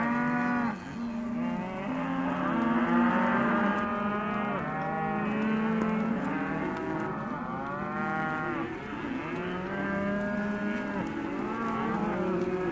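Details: A sale lot of Hereford and white-faced calves mooing constantly, dozens of overlapping drawn-out bawls with curved, wavering pitch filling the whole recording.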